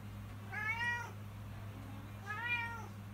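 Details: Two plaintive meows from Woobie, a house cat crying for food at feeding time, each roughly half a second long with a rising then falling tone, over a steady electrical hum indoors.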